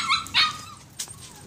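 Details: Purebred Siberian Husky puppy giving short high yips and whimpers, two brief bursts near the start followed by a faint thin whine, with a sharp click in between.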